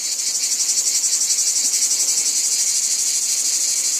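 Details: Shrill, unbroken drone of cicadas over a wheat field, rippling with quick regular pulses about four times a second, steady in loudness throughout.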